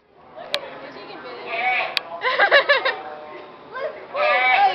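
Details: Lone goat at a county fair, apparently missing its fellow goats, calling with quavering, tremulous bleats in two bursts, surrounded by people talking nearby and a couple of sharp knocks.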